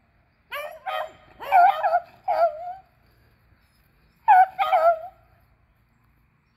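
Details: Beagles Athena, Zeus and River, two aged eleven and one aged three, hunting squirrels on April 21, 2020: harmonic, yelping bays in a quick burst of four, a pause, then two more drawn-out howling barks.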